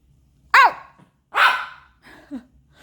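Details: Pomeranian puppy Baebae talking back: a clear high bark, then a rougher, noisier bark, then a small whiny grumble at the end.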